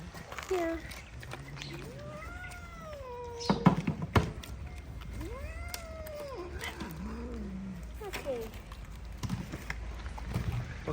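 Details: Stray cats being fed outdoors. Two long, drawn-out meows that rise and then fall, with a few shorter mews between them. People talk about plates and dry food throughout.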